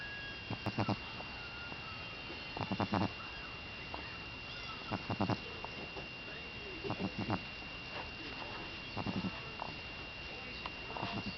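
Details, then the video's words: Buckeye, a sleeping Boston Terrier, snoring: short fluttering rattles of rapid pulses, each burst under a second, returning about every two seconds, over a steady faint electrical whine. "Buckeye Snores!"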